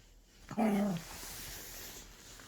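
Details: A Pomeranian guarding its snack, wary that it will be taken away, gives one short voiced growling sound of about half a second, low and rich in harmonics, in an otherwise quiet indoor setting.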